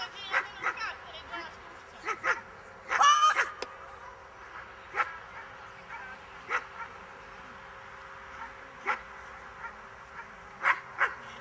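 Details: Miniature English bull terrier in a defence training class, giving short barks spaced irregularly, a burst of louder noise near the third second, and a faint hum in the background.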